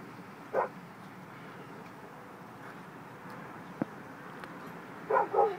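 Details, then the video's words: Dog barking at a post office: one short bark early, a faint click midway, then a double bark near the end against low room noise. "Random dog barking at post office"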